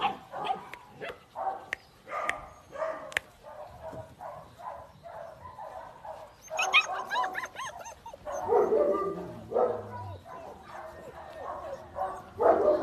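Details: German Shepherd dogs and puppies make a run of short, evenly spaced yips, then a burst of thin, wavering squeals around the middle, followed by denser overlapping yelps and whines toward the end.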